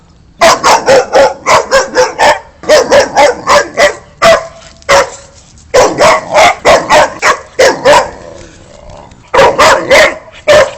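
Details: Boxer dog barking in rapid bursts, loud sharp barks repeated about four per second in groups separated by short pauses, some overlapping as if more than one dog, with a faint hiss between bursts.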